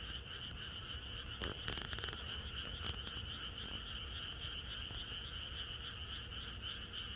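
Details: Countryside frogs in full chorus on a pre-rain night, a constant buzzing trill layered at two pitches with quick, irregular croaks. A cluster of clicks and rustles interrupts briefly in the first half.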